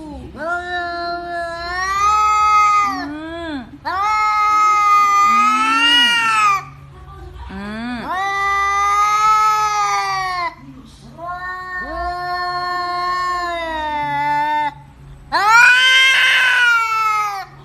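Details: Domestic cat voicing unusual sounds, a string of five long wailing yowls, each one to three seconds, bending upward at the start and sliding down at the end, separated by short pauses with faint low moans in a quiet room.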